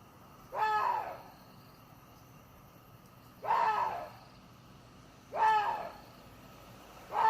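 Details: Hoarse, throaty screams of a water deer repeat about every two and a half seconds, four harsh bursts in total, each short and rough-edged, separated by near-quiet gaps with low hiss.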